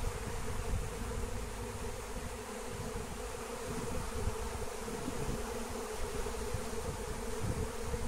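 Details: Wild honey bee swarm being captured with the lemon balm plant; a low hum of massed bees sits beneath rumbling, rustling background noise.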